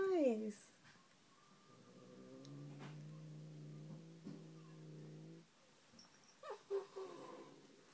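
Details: Pet cat Leia, unhappy with the new kitten Ninja, gives a low, steady growl lasting about four seconds indoors, bracketed by a woman's voice calling her name before and after.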